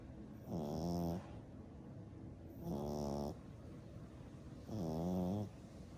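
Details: Sleeping ten-week-old black and brindle French Bulldog puppy snores in three evenly spaced rumbling bursts, one roughly every two seconds, each a low buzzy rattle with soft breathing between.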